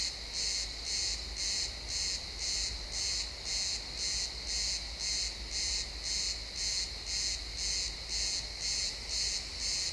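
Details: Sunset chorus of crickets in pine woods, captured in stereo: shrill, evenly pulsed chirps recurring about every half second, very regular, above a gentle low-frequency background.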